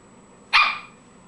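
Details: Alaskan Klee Kai playing with a ball gives a single short, sharp bark of about a quarter second, bright and noisy, fading quickly; a faint steady high tone hums in the background.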